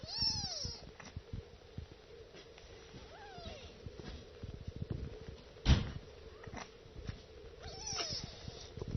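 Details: Several kittens meowing while nursing: thin, high, arched mews, three clear ones spaced a few seconds apart, over soft wet suckling clicks and a steady low hum.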